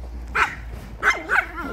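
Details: Chihuahuas from a home kennel in Crimea, described as a cheerful company, bark: three sharp, high yapping barks, the last two close together, over a low background hum.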